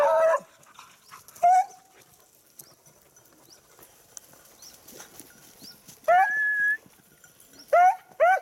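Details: Hunting Beagle searching for a lost hare, 19-10-2022: repeated loud bays, short ones at the start, a longer drawn-out high bay midway, then two quick bays at the end, with faint chirps between.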